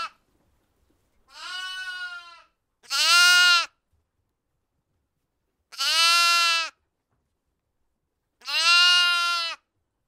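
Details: Sheep. A sheep bleats four times, each call a strong, quavering 'baa' lasting most of a second. The bleats come at uneven intervals of about two to three seconds, with quiet in between.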